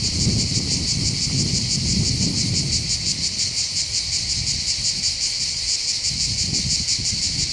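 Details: Cicadas singing on the heights above the port of Bandol, Var, on the Mediterranean coast of southern France in summer: a dense, steady, pulsing buzz high in pitch, with gusts of wind rumbling low at the start and end.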